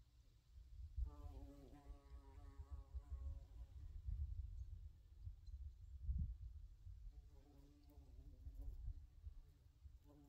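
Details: A bumblebee in a summer forest drones past with a deep humming buzz that wavers slightly in pitch, fading out and returning a few seconds later, over a low continuous rumble of wind.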